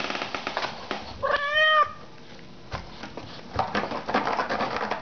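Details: {'__c': 'Indoor cat given a scratching post and silvervine gives a single short, bright meow that rises then falls, amid steady scratching and rustling noises.'}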